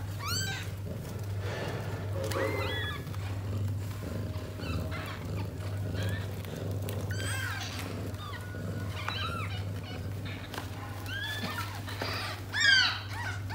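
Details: Indoor mother cat, born to a stray, and her litter of six kittens, settling down to nurse. Scattered short, high, rising-and-falling mews come in small clusters between quieter stretches, over a constant low hum and faint rustling.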